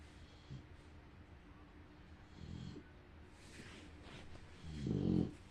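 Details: A female bulldog, fighting sleepiness until she finally dozes off, snores in low, rattling bursts, the loudest coming near the end.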